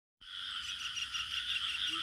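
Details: Crickets in village ambience. A dense, steady, high-pitched trilling chorus starts abruptly and holds without a break, with faint low rumble underneath.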